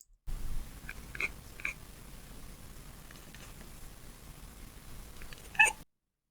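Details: Female domestic cat chattering in a slow sequence of soft voiceless clicks, a hunting instinct sound, ending with a brief voiced chirp; steady background hiss throughout.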